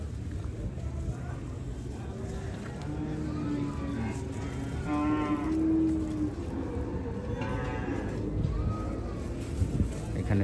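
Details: Cattle at the Hazratpur cattle market in Bangladesh, around nine in the morning while traders feed them; two drawn-out, low, harmonic-rich moos near the middle and end, over steady crowd murmur and background noise.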